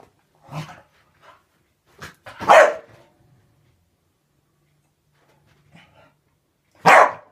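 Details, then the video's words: Staffordshire bull terrier chasing and biting at bubbles inside a small room, mixing low growly grunts with loud, abrupt barks, a pause of silence before a final strong bark. "Staffie attacking his mortal enemy"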